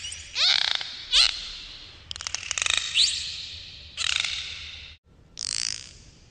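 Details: Dolphins heard underwater give quick downward-sweeping chirps, dense rattling click trains, and a final smeared buzzy burst, each sound separated by short quiet gaps.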